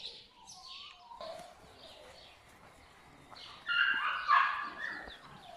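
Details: Young pups of My Black Butterfly and Bayleys give soft, descending whimpers at first, then break into a loud, crowded outburst of shrill yelps and squeals in the final seconds.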